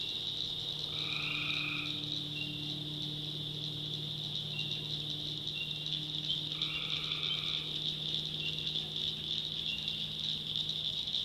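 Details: Tree frogs calling at night in a swamp in the backwoods of North Carolina: two buzzy, nasal calls of about a second each, spaced roughly five seconds apart, over a steady high-pitched drone from the night chorus.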